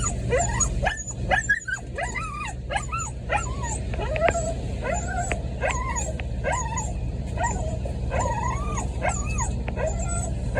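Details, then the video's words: A puppy waits at the door in the rain and cries, giving a steady series of high, arching whines, each rising then falling, about one every second, over constant rain noise. "Puppy crying in the rain waiting at the door"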